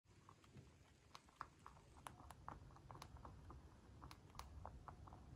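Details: White dwarf mini lop rabbit, a free-range pet, eating food: crisp crunching clicks in quick irregular bursts, several each second, over a low steady room hum.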